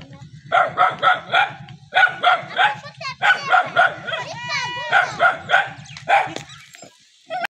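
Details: Dog barking at a village dog meeting in the Saraiki region: fast runs of barks, broken midway by a high, wavering whine-like sound, with a low mechanical throb behind.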